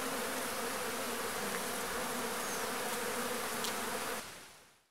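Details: Buzzing of marimbondo-carniceiro wasps, Agelaia pallipes, during the release of new swarms. A thick, unbroken droning hum of many wings that cuts off abruptly after about four seconds, then fades to quiet.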